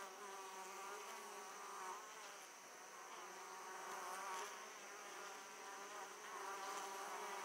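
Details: A steady, droning hum of many Italian honey bees at an opened hive, returning laden with pollen, swelling and fading as bees fly close.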